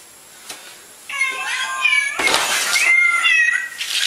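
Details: After a second of near silence and a single tap, a house cat lets out long, loud, strained meows that bend upward and downward, nearly unbroken to the end.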